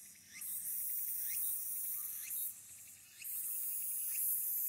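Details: Walker's cicada at Aburayama, Fukuoka City, Japan, 22 August 2022, smartphone recording from the Aburayama Kannon observation deck: a continuous shrill high buzz broken by brief dips, with faint rising notes underneath.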